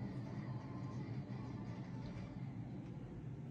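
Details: Quiet low hum of distant traffic or machinery, with no animal call present.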